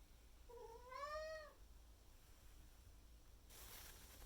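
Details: Indoor Maine Coon cat calling loudly to its owner in the morning in May 2021, demanding food and water once the owner is judged awake: one long, rising then falling, tonal meow about a second long, then quiet room with a brief rustle.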